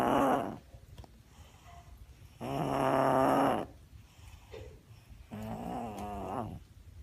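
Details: Six-year-old pug named Lola making her constant noises: three loud, drawn-out snorting, wheezy breaths about a second each, with rasping harmonic tones, separated by quieter pauses indoors.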